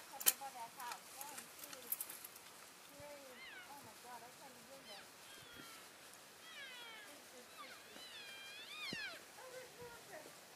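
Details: Elk herd on February 3, 2012, calling to stay in touch while moving between grazing areas: many overlapping high mewing calls, some rising and some falling, some wavering, from several animals throughout.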